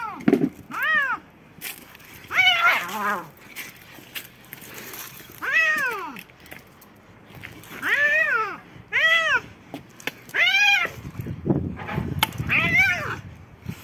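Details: Two cats, one white and one black, in a fierce fight: a series of short, rising-then-falling yowls about once a second, with harsher growling tones and a burst of low rumbling noise near the end.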